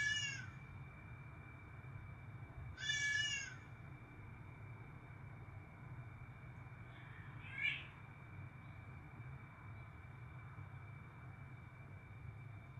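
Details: Pet cat giving three meows, two clear harmonic meows near the start and a shorter one about seven seconds in, over a steady low hum and a constant high tone.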